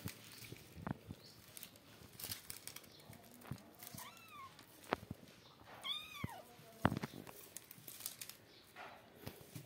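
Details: Two kittens from outside playing in front of a cat and three other kittens; two thin, arching meows rise then fall midway through, among thumps, scuffles and rustling of play.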